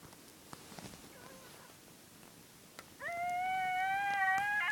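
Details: Coyotes howling at night at Sage Creek primitive campground, Badlands National Park, South Dakota: a long, steady howl that rises slightly and holds, after fainter wavering notes.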